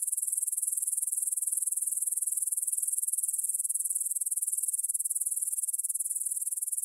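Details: Grasshoppers chirring in a meadow near Bryansk's Svensky monastery, Russia, at 9pm on 6 September 2020, recorded in stereo on a Tascam DR-44WL; a steady wall of thin, high, rapidly repeated scraping pulses with no other sounds.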